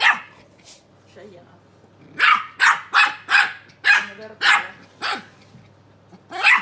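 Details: A pair of young Keeshond puppies vocalise at each other: after a quiet start with faint yips, a run of about eight sharp, high-pitched barks comes roughly every half second, then one more bark at the end.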